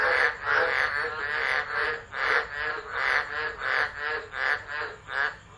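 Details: Frogs in a tropical storm chorus at Driver, Northern Territory, Australia, 13 December 2013, captured on an unattended phone. Loud, grating croaks swell and fade in uneven bursts, roughly one to two per second, overlapping from several callers.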